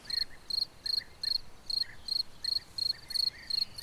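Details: A nocturnally active cricket chirps at night, giving high, thin chirps, short bursts of quick pulses repeated about twice a second, over a faint low background hiss.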